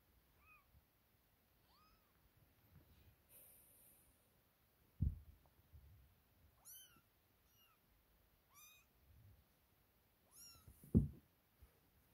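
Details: Freshly woken kittens at play, connected to cat Sofia, repeat thin high meows every second or two, each a curved whistle-like tone with stacked overtones, broken by two loud knocks and light scuffing.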